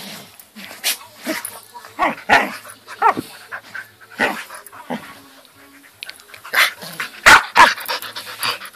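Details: Kobi, a Samoyed puppy, trying to get attention: short high yips and wavering whines come in uneven bursts, with a person talking between the calls.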